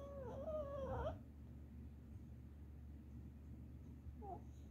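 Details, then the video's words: Sleeping red Boston Terrier, dreaming: one wavering, nasal whine lasting about a second, then quiet hum and a brief faint squeak a few seconds later. "Red Boston Terrier dreaming again"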